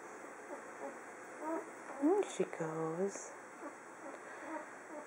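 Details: One-week-old Standard Poodle puppies, a litter whelped June 23, 2015, shortly after nursing. Thin, high rising whimpers and squeals cluster mid-clip amid soft murmuring speech and a steady background hum.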